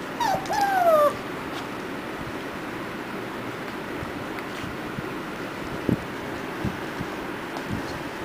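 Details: Puppies missing their mother whimper in a clear, high, falling whine lasting about a second at the start, followed by quiet background hiss with a few faint clicks.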